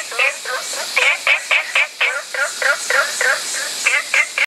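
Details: Spot-bellied frog calls in a quick regular series, about four short notes each second, every note a brief upward sweep with bright ringing overtones, a faint steady hiss behind.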